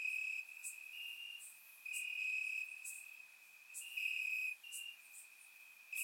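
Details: Warm summer night in Bulgaria, crickets calling from the grass: a continuous shrill high trill swelling into louder bursts every couple of seconds, with brief sharper clicks layered over it; surround-microphone recording.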